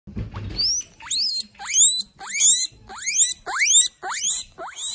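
A guinea pig wheeks for food, giving loud, shrill squeals that sweep sharply upward about every half second.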